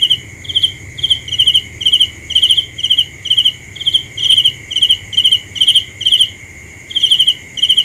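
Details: A cricket chirps in bright, pulsed bursts about twice per second, around thirteen in eight seconds with a short gap near the end, over a constant high tone and light low background noise.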